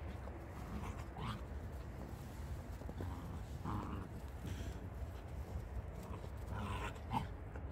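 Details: A Jindo dog named Iki is on a snowy rural farm beside greenhouses after a snowfall of over 30 cm. It gives short whimpers and yelps at intervals, with panting, and human voices nearby.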